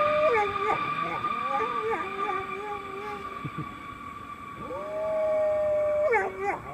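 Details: A female English Golden Retriever looks across the sky, then howls at a passing airplane in long, wavering, mid-pitched notes over the steady drone of the aircraft.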